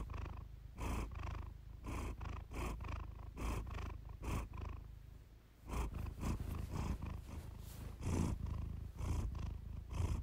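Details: Close, continuous purring from Iris the cat, captured for relaxation: a deep rumbling drone in regular waves with each breath, briefly softening near the middle before building again.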